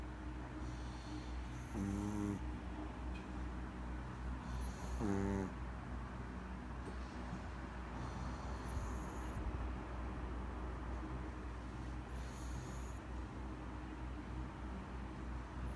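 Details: Maltese dog snoring in its sleep, two clear rasping inhaled snores early on, then softer breathing hisses continuing at a similar pace over a steady low hum.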